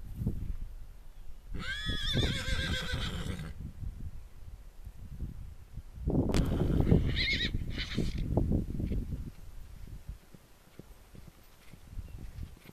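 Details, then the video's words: Stallions rampaging around a field, complaining because the mares are kept in the stables to have their foals; a long shaky whinny, then a second harsher neigh, over thudding hooves. "Shadowfax running"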